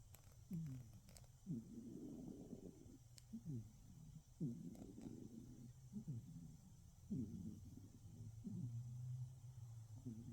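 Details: Sleeping cat snoring in the dark: soft, low rasping breaths with faint wavering tones, repeating every one to two seconds in a quiet room.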